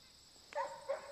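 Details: Black and tan male puppy named Gracies Mr. Cappuccino, a pet who loves attention and cuddles, giving two short high yelps with a rising then falling pitch, the second half a second after the first, over a quiet background.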